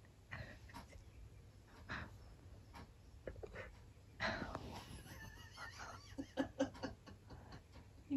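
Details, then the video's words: Husky singing to himself indoors in a small room, a quiet run of short wavering whine-like tones and soft breathy sounds, rising and falling in pitch, with brief pauses and faint clicks between phrases. "Caught My Husky Singing To Himself! So Soulful!"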